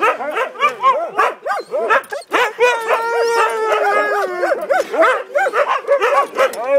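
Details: Siberian Huskies in noisy group talk: quick bouncing yelps and whines, broken in the middle by a steady sustained howl about a second and a half long, then more rapid chattering.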